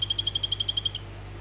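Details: Orange-morph Phyllobates vittatus male calling for a female: a single short trill of about eleven sharp, high chirping pulses in under a second, then quiet with faint background hum.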